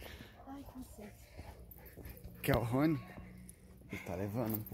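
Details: Woolly Siberian Husky Rony giving two wavering, warbled howl-talk phrases that bend up and down in pitch, between quieter stretches with a person talking nearby.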